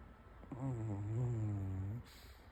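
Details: Sleeping Pomeranian dog giving one long, low, droning snore of about one and a half seconds, steady and slightly wavering in pitch, followed by quiet.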